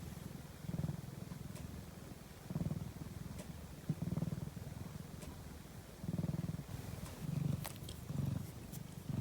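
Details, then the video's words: Napping domestic cat purring steadily: low rumbling pulses swell and fade in rhythmic bursts roughly every one to two seconds, with faint clicks and a quiet room background. "ひたすらゴロゴロ音を奏でるお昼寝中の猫｡Cat’s purring sound."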